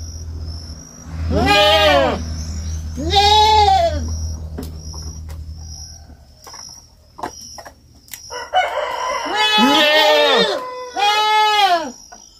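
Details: Kid goat calling on a farm: a series of wavering bleats, some overlapping, with a low rumbling hum early on and a constant thin high whine in the background.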